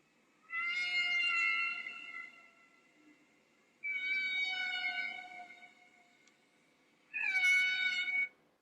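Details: Humpback whale song from the 1966 Bermuda recording of North Atlantic humpbacks migrating northward in spring. Three drawn-out, high, harmonically rich cries, each lasting one to two seconds, are separated by gaps of about two seconds.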